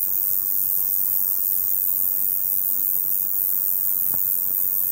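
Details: Male Roesel's bush cricket, short- and long-winged form, singing to attract females in hot sunny weather; continuous high-pitched penetrating buzz like an electricity pylon, steady without pauses, one faint click.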